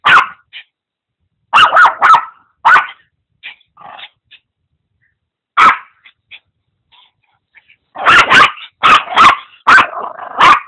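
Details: Maltese-Papillon mix dog, very noisy, barking while playing with a pug mix: sharp, loud barks in quick clusters of two to five, a long pause midway, then a rapid run of about six barks.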